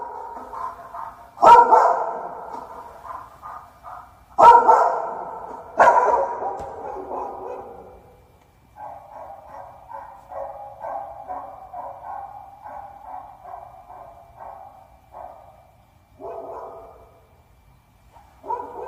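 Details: Dog recorded for a soundproofing test gives three loud, sharp barks that trail into sustained whines, followed by a long run of softer, choppy whimpering notes and two final yelps.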